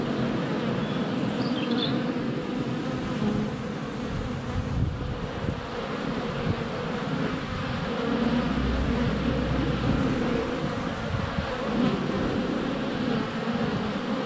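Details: Busy hive entrance of honey bees on a sunny February day, close GoPro recording; unbroken humming buzz with a deeper rumble midway and faint bird chirps in the first seconds.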